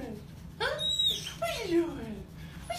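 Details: Emotional dog whimpering as its owner comes home from a nine-month deployment; a few high, tonal whines sliding downward in pitch, one after another, with a short brighter squeak in between.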